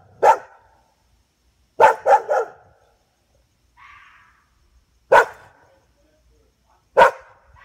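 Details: At night a dog barks at a fox, giving short loud barks spaced a few seconds apart, one quick run of three, and a soft whine between them against an otherwise quiet background.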